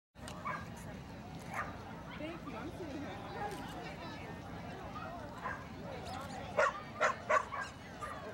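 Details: Colored Bull Terrier at a dog show during Best of Variety judging on Saturday, March 2, 2013; a steady murmur of crowd talk gives way to a quick cluster of three or four sharp, loud barks near the end.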